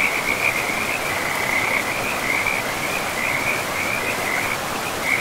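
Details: Frogs by a forest river amid trees and moss give a dense, continuous run of high, rattling chirps that barely pauses, set against the even rush of the flowing stream.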